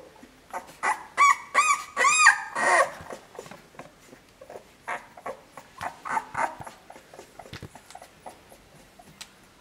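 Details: Two-week-old puppies whimper and squeal indoors, a burst of high wavering whines at first, then softer scattered short squeaks and faint mewing at an irregular pace; a man speaks a few words beforehand.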